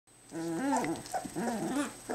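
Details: Two-week-old Entlebucher Mountain Dog puppies starting to play for the first time; short harmonic whines and little growls rising and falling in a quick run of bursts, with a steady high electrical tone behind.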